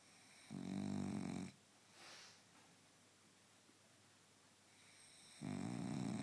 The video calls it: My snoring French Bulldog!